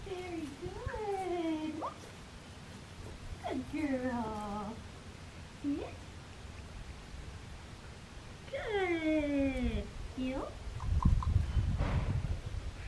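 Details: Black tri female Australian Shepherd puppy indoors giving drawn-out harmonic whines that rise and then bend downward, in three bouts near the start, middle and end, with a short yelp between and a dull thump at the close.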